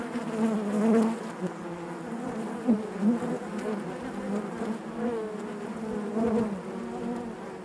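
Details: Honey bees buzzing inside their hive: a dense, continuous drone of many overlapping wingbeats with a low hum and brighter harmonics, swelling louder around the first and third seconds, with faint clicks scattered through.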